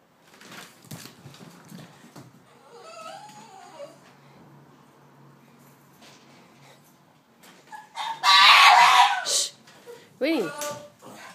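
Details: Boston Terrier named Winston screaming in greeting as its owner returns after a weekend away; softer whines and soft spoken hushing first, then a loud high harsh scream near the end followed by rising yelps.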